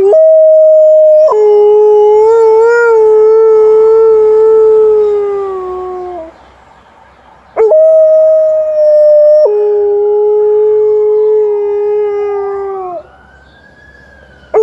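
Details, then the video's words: Liza, an Alaskan Malamute, howling at a passing ambulance at 6 AM: two long, steady, mid-pitched howls, each opening on a higher note then dropping and holding before sliding down. A faint siren curve rises near the end. "Early morning howling of Alaskan Malamute"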